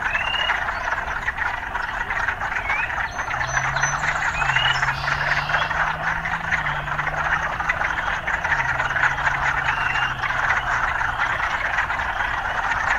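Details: Frogs chorusing amid city sounds: continuous croaking band with scattered rising chirps, while a low drawn-out engine-like drone passes through the middle seconds.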